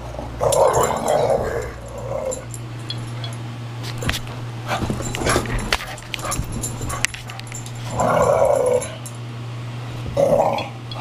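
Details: Growling during play by Archie, a 17-month-old Valley Bulldog: a long growl at the start, scattered sharp clicks and knocks in the middle, then two more growls near the end, with a low hum throughout.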